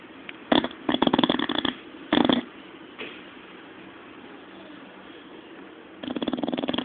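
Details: Zé, a pet bulldog, snoring while asleep and dreaming: short bursts of rattling, pulsed snorts near the start, a softer breath around three seconds, then a longer fluttering snore at the end, with quiet breathing between.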